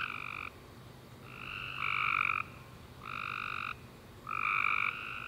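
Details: A chorus of tree frogs calls at night after a warm, rainy summer day, giving overlapping harsh, buzzy trills in bursts of about half a second.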